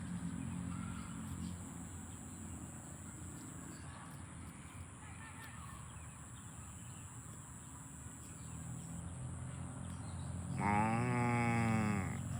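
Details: Farm cows being herded to the barn; after a stretch of steady low rural rumble with faint chirps, one loud drawn-out moo rings out near the end, rich in harmonics and slightly wavering in pitch.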